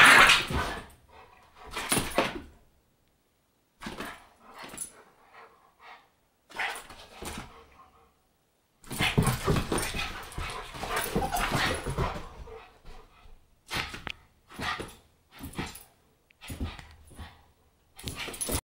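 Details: American bulldog and Boston terrier at play indoors; sharp barks and short growling bursts come in separate clusters between quiet pauses, with a longer stretch of rough growling in the middle.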